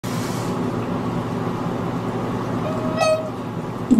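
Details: Steady traffic rumble with a brief vehicle horn toot and no animal voice. No animal voice can be picked out.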